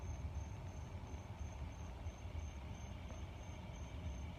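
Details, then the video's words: Faint, high, regular cricket pulses about three per second, set against a strong low growling rumble that fills the background. "Air and cricket sound with growling"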